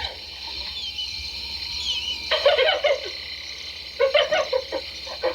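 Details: Hyena laughing in two short bursts of quick, choppy, staccato notes with a rough, nasal edge, separated by a quieter stretch of faint background hiss.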